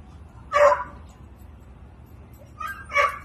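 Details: Adult Beagle barking on seeing a cat on a fence: two loud, harmonic barks about two and a half seconds apart, the second preceded by a shorter, softer yelp, over a quiet background.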